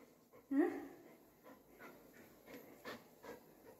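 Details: Golden retriever named Buzo, being scolded by his mummy indoors, lets out one short rising whine early on, then only faint breathy sounds and soft, quiet noises in a small room.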